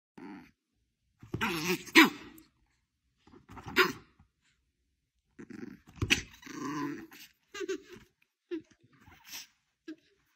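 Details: An angry dog growls in short harmonic bursts indoors, several separate outbursts with gaps of silence between them. A person talks to the dog in between.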